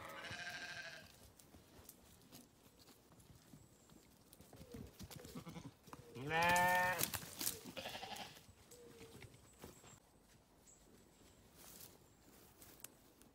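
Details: Sheep grazing on a farm; one loud, quavering bleat near the middle stands out over faint, distant bleats and soft rustling of grazing.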